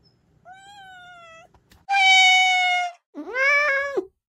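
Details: Domestic cat meowing, played to repel rats in the countryside: a faint, level meow followed by two loud, harmonic-rich meows, the last one rising and then holding steady, in a quiet setting.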